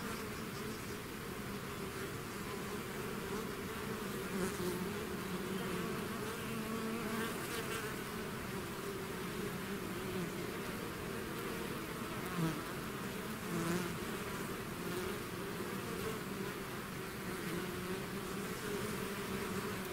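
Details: Bees swarming out of their hive keep up a continuous deep buzzing drone, with many overlapping wingbeat hums and a few short louder swells as bees fly near.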